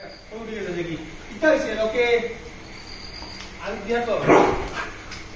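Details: German Shepherd and Labrador reunited with their owner after ten days: excited drawn-out whines and a couple of yelping calls, with human voices mixed in.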